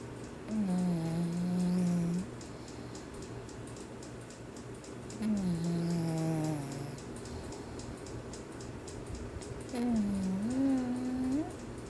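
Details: English Bulldog puppy named Irene snoring during a nap indoors, her legs sometimes moving as if running; three drawn-out, whistling nasal tones with a low steady pitch, each lasting about one and a half seconds, spaced roughly four seconds apart.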